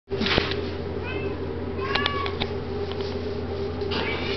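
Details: A young male black Domestic Shorthair cat, friendly and curious and up for adoption, gives short harmonic meows around one and two seconds in. A steady low electrical hum runs underneath.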